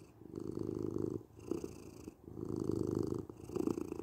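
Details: Domestic cat purring steadily, a low rumbling vibration swelling and fading in long phases of about one second, quieter gaps between, roughly three louder bursts across the stretch, indoors with no other sounds.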